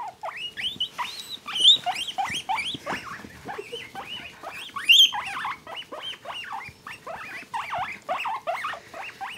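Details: Two male guinea pigs being petted and tickled, giving loud, high squeals that rise and fall, repeated in quick overlapping bursts throughout, with one animal or both calling almost without pause.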